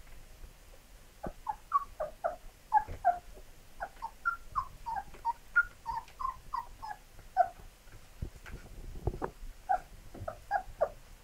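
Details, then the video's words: Labrador Retriever puppies whimpering: a long run of short, high, tonal squeaks and whines repeated rapidly, several overlapping, with soft bumps and low thuds beneath in a quiet indoor setting. "Labrador Welpen"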